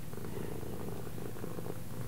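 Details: Domestic cat purring in a steady, continuous low rumble with a fine pulsing texture, unbroken for about two seconds indoors.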